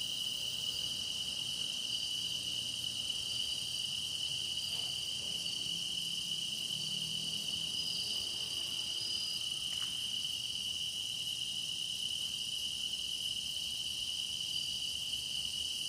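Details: Grass insects in full song for a meditation recording, a long steady high chorus with a piercing pure tone and shimmering overtones, a faint low murmur midway and a short sharp click near the middle, otherwise unchanging.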